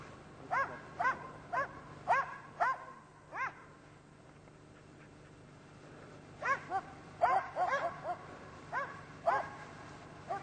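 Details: Karelian Bear Dogs hunting European brown bear: a run of sharp, ringing barks about every half second, then a pause of nearly two seconds, then another rapid, irregular volley of barks.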